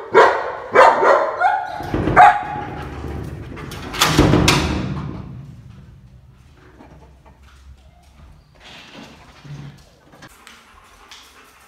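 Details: A black-saddled German Shepherd puppy guards and protects its house with a run of deep, loud barks.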